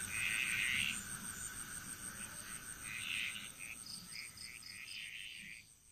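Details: Frog chorus in Bali, Indonesia, recorded as relaxing nature sound: rough, rattling croaks in short bursts overlapping a steady high insect whine, the calls clustering in quick trains before fading near the end.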